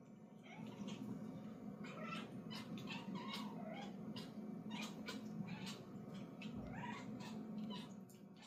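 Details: Scottish fold kittens play with a fishing-rod fish toy; one chirps at the toy, giving short chirps and small meow-like calls among scattered clicks and taps from play.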